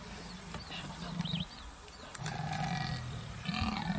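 A leopard gives deep, rough, grunting roars in three short bursts.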